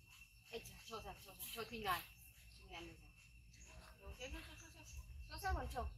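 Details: Monkey Yoko crying after being bitten by his brother Koko: bursts of short, wavering, tonal cries that slide up and down, clustered in two bouts, over steady high insect chirping and faint bird notes.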